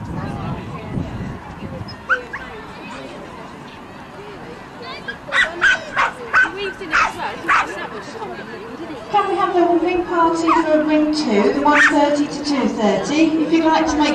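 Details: Pembroke Corgi Eddie, a bit nervous at his first outdoor agility show at the East of England showground on March 21st 2010, alongside the Shire Horse Show; a burst of sharp barks, then a loudspeaker announcer and crowd noise.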